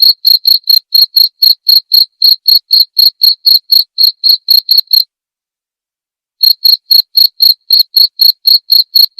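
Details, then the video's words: Cricket chirps recorded as clear masteran for white-rumped shama training, played nightly: regular high, bright pulses near four per second, broken by a silence of about one and a half seconds before the rhythm returns. "masteran suara jangkrik jernih!"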